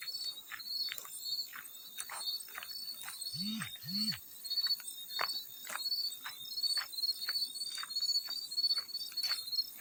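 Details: Field cricket chirping in short, steady, high-pitched pulsed bursts that repeat rapidly, mixed with water splashes and drips, plus two brief low swooping sounds near the middle.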